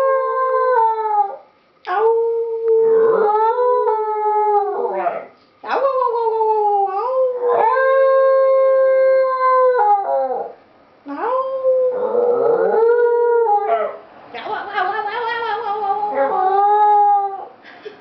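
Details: A West Highland White Terrier howls in long, wavering, sing-song notes with brief pauses between bouts, trying to sing along in a duet.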